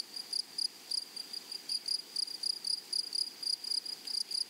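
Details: Meadow grasshoppers among flowers give short, high, rasping pulses, bunched in rapid bursts about four or five times a second over a faint background hiss.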